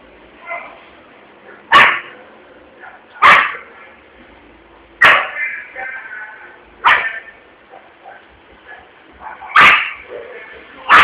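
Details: Frightened Yorkshire Terrier in a shopping area of Vitória da Conquista, Brazil, reacting after a balloon explodes: sharp, high barks spaced about two seconds apart, with murmuring voices and background noise between them.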